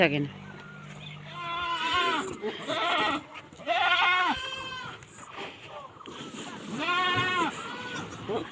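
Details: Boer goats on a breeding farm in Nepal: three wavering, nasal bleats at spaced intervals, each a few seconds apart, over a low steady hum and faint background noise.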